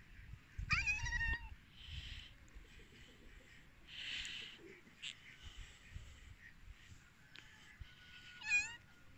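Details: Hungry cats waiting to eat give two short meows, one near the start and one near the end, each a bright rising-falling wail with stacked overtones, over soft rustling and low background noise.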